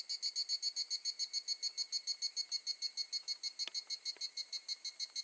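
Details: Evening cicada singing at a campground in Tokushima, Japan, in August 2018: a high, ringing pulsed phrase repeated evenly about three times a second, with a steady high tone beneath and a few faint clicks.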